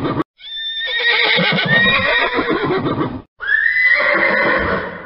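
A horse gives two loud whinnies, each a shrill quavering neigh that falls away into a rough, shuddering end.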